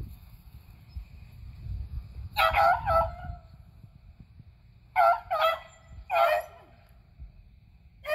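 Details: On April 21, 2020, beagles Athena, Zeus and River hunt squirrels; after a quiet start come three bursts of doubled, ringing barks, spaced a few seconds apart.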